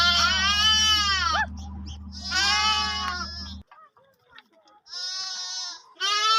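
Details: Sheep with lambs feeding on milk: loud trembling bleats, one long wavering call then another, a brief near-silent pause, then fresh bleats resuming at the end.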